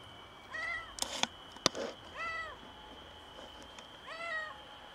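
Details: Stray female cat meowing strangely on a balcony after giving birth to a premature kitten; three drawn-out, arching meows with rich harmonics, roughly two seconds apart, between sharp knocks, over a steady high-pitched whine in the background.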